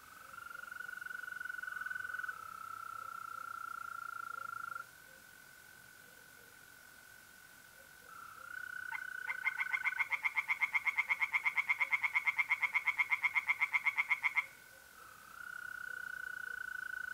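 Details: At night in mid-April in north-east Italy, a long steady mole cricket trill runs alone, then pond tree frogs break in with about five seconds of fast, rattling croaks before stopping and leaving the trill.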